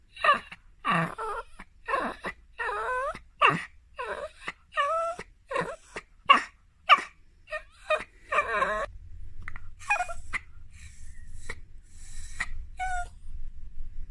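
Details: A dog making squeaky noises: a rapid series of high, wavering whines and whimpers, each sliding up and down in pitch, fading into thinner, sparser squeaks toward the end over a faint low rumble.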